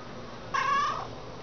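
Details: Domestic cat in a multi-cat household, one of several made to sit and wait for dinner, gives a single short, drawn-out meow of about half a second amid quiet room tone, with a person giving sit commands nearby.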